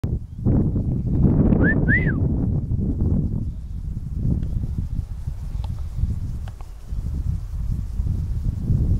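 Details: Marmot in the Vanoise mountains near Pralognan, on the trail to the Félix Faure refuge: two sharp, high whistles in quick succession, each arching up and down, over steady low rumbling wind noise.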